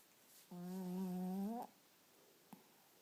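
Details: One drawn-out snore from a sleeping Chihuahua named Nino: a steady, hum-like drone lasting about a second that rises slightly at the end, then silence with a single soft click in a small room.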